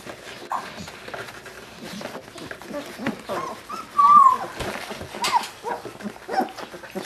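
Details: Labrador Retriever puppies just over two weeks old, with eyes starting to open, nurse beside their mother on February 15. They give brief, high-pitched whines, one clear rising-and-falling squeal, and fainter squeaks while a person talks softly.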